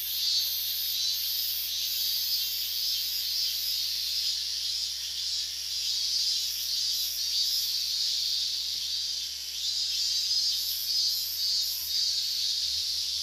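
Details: Loud massed calling of higurashi cicadas in August 2011 near the Minamisoma restricted-zone boundary, Fukushima Prefecture, an area empty but for police. A steady, high, buzzing drone with rapid pulsing bursts flickering on top throughout.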